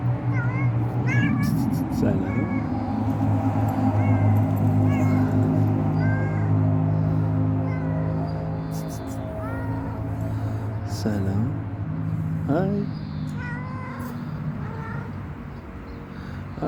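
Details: Stray cat asking for food and care, giving a series of short arching meows, several in quick succession, against a loud low droning hum with occasional clicks and rustles.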